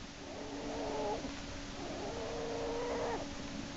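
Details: Screaming black bear cub Jason, pulled back into Lily's den by his back leg by Hope on March 1, 2011; two sustained, level, nasal wails about a second each, with a constant low hum beneath.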